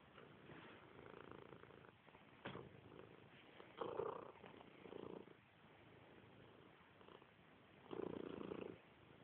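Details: Domestic cat purring contentedly while snuggling: a soft, steady rumbling purr with breathy swells roughly every second, close and quiet indoors.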